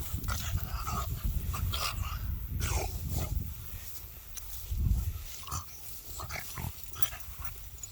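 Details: French Bulldog sneezing while crawling: a few short, sharp, snorting bursts spread across several seconds over a steady low rumble of movement and handling noise.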